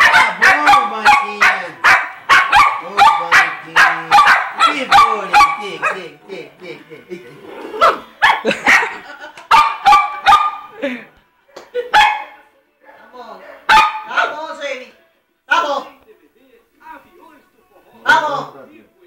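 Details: Husband-and-wife poodles Jayme, the larger, and Lendonn, the smaller: a rapid volley of barks for about six seconds, then sparser, softer yips and single barks with gaps between.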